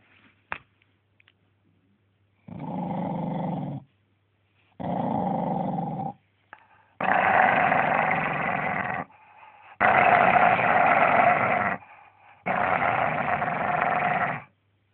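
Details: Charlie the dog growls on Boxing Day 2010 while refusing to share toys: five long, rough, droning growls of one to two seconds each, separated by short silences, with a sharp click near the start.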